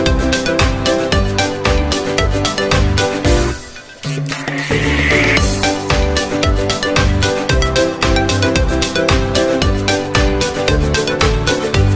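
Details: Loud upbeat rhythmic music with steady drums throughout, a brief drop near the fourth second, and no animal sound heard.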